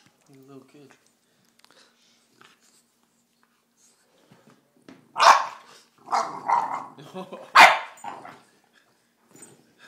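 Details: Cedric the bulldog, playing rough and getting frustrated, lets out a sharp bark followed by a run of rougher growly barks over about three seconds, after quiet speech at the start.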